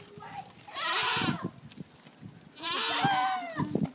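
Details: Goats screaming at Tallinn Zoo, Estonia: two loud, harsh, wavering bleat-screams about two seconds apart, each lasting roughly half a second, with low background clatter between them.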